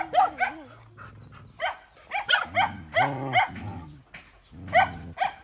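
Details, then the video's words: Defending her puppies in a fight, a dog gives harsh clustered barks mixed with low rumbling growls and a wavering whine, the bursts coming in uneven groups. "Poor Dog Fighting Protect Babies"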